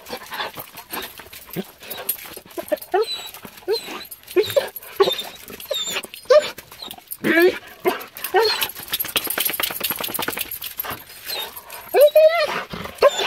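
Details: An excited Weimaraner whines in high, wavering bursts, rising and falling as it greets its owner returning home after four days away.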